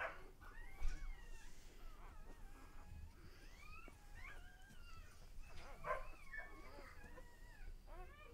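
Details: Lexa's puppies at one day old cry in short wavering squeaks and whimpers, some sliding upward, others dropping, spaced irregularly with faint low rustling beneath.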